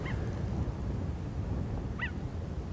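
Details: One of two cheetah brothers in a coalition giving a contact call to the other as they head south away from Cheetah Plains. Two brief, bird-like chirps, one at the start and another two seconds later, over a low, steady rumble.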